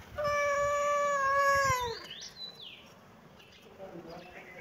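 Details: Cat giving one long, steady, drawn-out meow lasting nearly two seconds that dips and fades at the end, followed by a few quieter short chirping notes against a soft background hiss.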